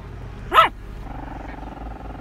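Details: A Chihuahua barking at ducks gives a single sharp, high yap, rising then falling quickly, over a low steady background hum.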